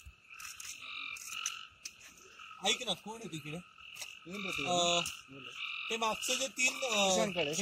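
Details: Several groups of rapid, harmonic, rising-and-falling croaks from frogs in Amboli hills forest, Sindhudurg, sound loudly against a constant shrill two-toned chorus, with no background music, the croaks coming in clusters every second or two.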